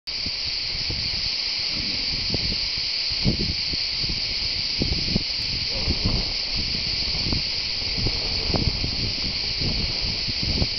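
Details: Cicadas near the Tour de l'Hers, Châteauneuf-du-Pape, Vaucluse, France, recorded live: a steady, dense, unbroken buzzing hiss throughout, with frequent low thumps and rustling from handling or wind underneath.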